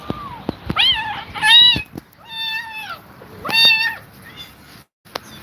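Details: An exhausted mother cat stays beside her kittens. Several drawn-out, harmonically rich meows rise and fall in quick succession, some overlapping, with short sharp clicks and a low background hum between calls.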